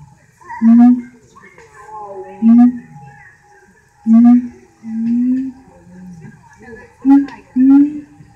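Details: Siamangs at Alexandria zoo; deep, booming hoots and short rising whoops come every second or two, some notes slurred upward, with quieter rumbling sounds in between.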